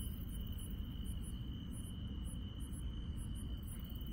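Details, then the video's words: Insects at night in the Korean countryside: a steady, unbroken high trill runs throughout, topped by short, very high-pitched chirps repeated in rapid bursts, over a low rumbling background hum. "시골 밤의 정겨운 풀벌레 소리"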